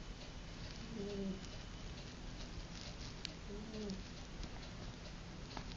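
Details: A puppy snores in its sleep: two faint, low, humming breaths about two and a half seconds apart, set against constant background hiss.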